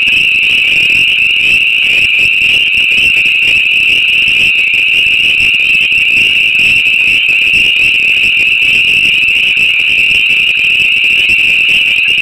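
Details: A dense chorus of hundreds of spring peeper frogs on an April night in northwest Massachusetts: countless high, piercing peeps blending into one continuous shrill ringing.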